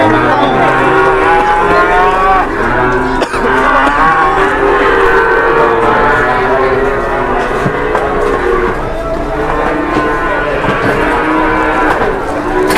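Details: Big fat cattle in Indonesia waiting to be weighed: a dense chorus of overlapping moos, some long and level and others bending up or down, runs throughout, backed by constant background hubbub.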